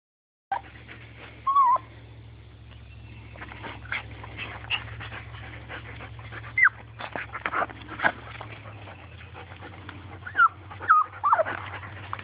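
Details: Small dog wanting a turtle gives odd, monkey-like sounds: short, high squeaky whines and yips scattered through the clip, some with quick pitch bends, over a steady low electrical hum and light handling noise.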